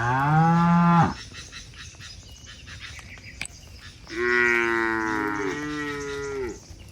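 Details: Cattle driven through forest to the shed, leaping happily, give two long low moos, a one-second call and then a longer wavering one, with rhythmic high-pitched pulsing background noise between them.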